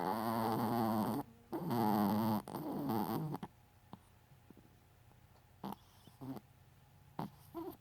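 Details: Dexter, a Chihuahua, snoring: three loud raspy breaths with a harmonic, whistling quality in the first three and a half seconds, then near silence broken by a few short soft snuffles.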